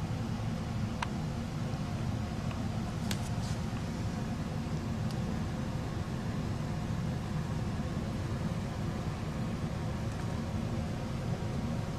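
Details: Steady low rumble like a vehicle or fan fills the recording, with a few faint clicks and no animal voice.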